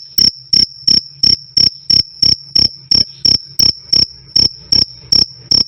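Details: High, ringing cricket chirps, the classic krik sound, spaced evenly about three per second. Loud and clear with a slight low knock in each pulse and nothing else audible.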